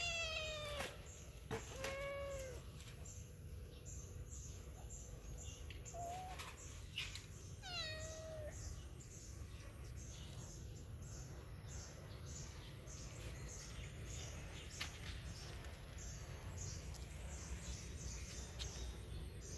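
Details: Cat meowing in a funny pets compilation: about four clear harmonic meows, bending up then down, cluster in the first eight seconds. The rest is mostly quiet, over a steady low rumble and scattered clicks and knocks.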